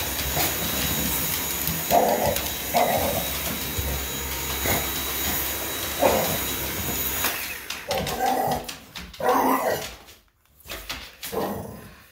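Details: An English Bulldog, excited by a running vacuum cleaner, gives short, gruff barks and woofs over its steady drone.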